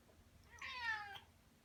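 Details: Female house cat with her favorite toy in her mouth gives a strange call, thought to announce her trophy catch. A single drawn-out, harmonic, slightly muffled yowl lasting about half a second in a quiet room.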